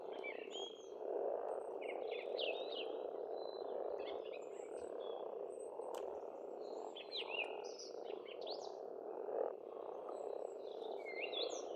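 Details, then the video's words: Pond frogs in spring in Estonia keep up an unbroken low croaking chorus. Lively birdsong runs over it, with quick rising and falling whistles and twitters. "Расслабляющее пение птиц и лягушек, весна, природа."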